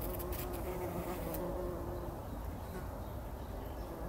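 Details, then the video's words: Several bumblebees rolling in poppy blossoms early in the morning before sunrise, taking a pollen bath in 2019; a steady low droning hum with a faint wavering tone runs throughout, with brief higher rustles near the start. "Hummeln wälzen sich in der Mohnblüte – summend wird das Pollenbad angenommen"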